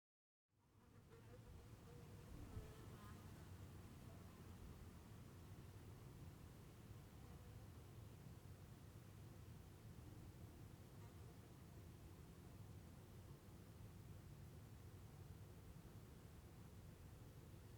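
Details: Bees recorded outdoors in Heiden, Switzerland: a soft, steady low hum of buzzing wings that continues without a break, with faint higher buzzy tones drifting in and out over a quiet background.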